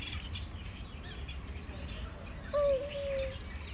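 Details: Two male stray cats face to face before a fight. Near the end a single loud, wavering drawn-out yowl with a faint overtone sounds, while small birds chirp thinly in the background.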